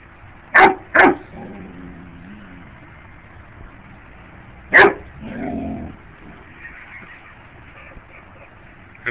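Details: Bear dog barking at bugs: two sharp barks in quick succession, a third bark about four seconds later, with soft whining between and faint background music.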